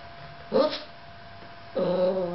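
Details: Yorkshire Terrier left alone with the camera gives two short, tonal barks about a second apart. The second bark is longer and more whiny, with a steady faint hum in the background.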